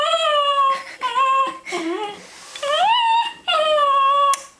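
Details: Male Cairn Terrier singing indoors to get his ball thrown, giving long sustained tonal howls, some sliding upward and others falling, with a brief dip between phrases.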